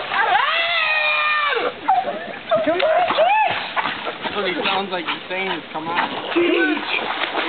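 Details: Cheech the dog, left behind as young men swim and urge him to join them, gives a drawn-out, wavering whine that sounds like "come in", then shorter whimpers amid splashing water and the men's shouts of "come on".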